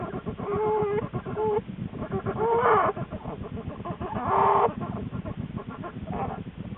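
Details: Lily, an American black bear, in her den in January shortly before the birth of her two cubs; short harmonic, wavering tonal calls repeat in bursts over a steady rustling, muffled background.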